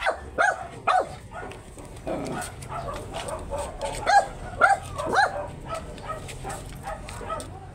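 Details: Very small Shih Tzu in Pangasinan during a stud session, giving short high arched yips and whimpers, several in quick bursts, with background chatter and shuffling noise between calls.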